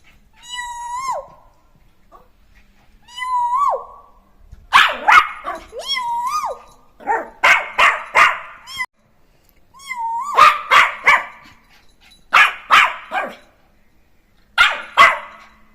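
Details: Jack Russell terrier puppy playing after being let loose: drawn-out, wavering whines that rise and dip, alternating with sharp yips and short barks in quick, uneven bursts.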